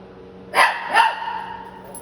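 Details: Shih Tzu puppies in San Antonio, Texas: two quick high yips about half a second apart, the second slightly longer and trailing off, with a faint constant hum underneath and an otherwise quiet indoor setting.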